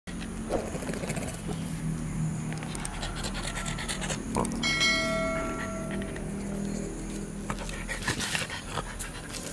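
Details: Bobby the beagle panting in quick, steady breaths, about three or four per second, with a soft low rumble underneath and a brief ringing, bell-like tone partway through.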